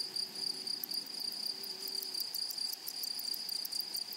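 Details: Grasshoppers in a flowery meadow: a steady, piercing high trill runs throughout, overlaid by very high rhythmic buzzy pulses repeating several times a second, with a faint lower hum briefly in the background.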